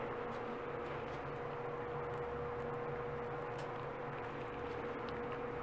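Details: A steady mechanical hum with a constant tone and low rumbling, and no animal calls heard.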